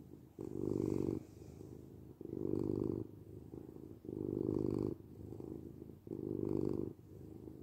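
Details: Domestic cat purring, a low, rumbling buzz that swells into four loud bursts, each lasting under a second, with softer rumbling between them as the cat breathes in and out.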